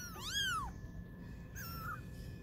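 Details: Kittens twenty days old, playing as they learn to walk: one clear, high meow that swells and drops, followed by a thinner, drawn-out descending cry, with a low hum underneath.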